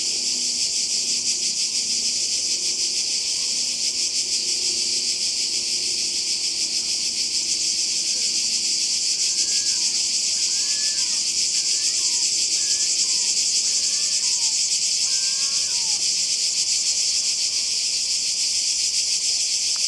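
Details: Croatian seaside cicadas in summer fill the air with a constant shrill, pulsing buzz, while a bird adds short chirping, sweeping notes in the middle section.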